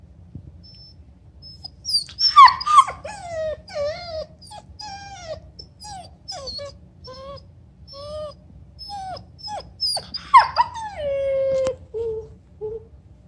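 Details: Black and tan German Shepherd puppy in its first week home, playing with an older miniature American shepherd and another family dog; high whimpering whines slide downward in pitch, clustered in short bursts with brief pauses between.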